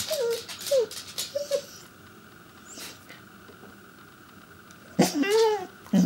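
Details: Pembroke Welsh Corgi named Chester, inside a home, trying to get attention: three short rising-falling whines in quick succession, a pause with faint shuffling, then a longer wavering whine and a final yip.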